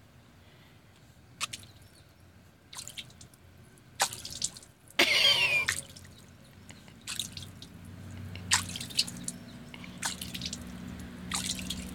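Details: Scattered water drips and splashes, with one louder rushing burst midway, sound over a low background hum, and no animal calls.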